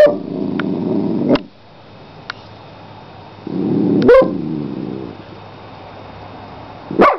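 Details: Dog giving two abrupt, loud barks a few seconds apart, each preceded by low rumbling sounds, with quiet room noise in between.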